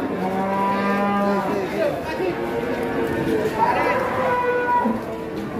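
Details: Giant cattle arriving in a group among other cattle: a long, steady low moo with rich harmonics lasts over a second. Shorter, higher bellows follow, with people talking in the background.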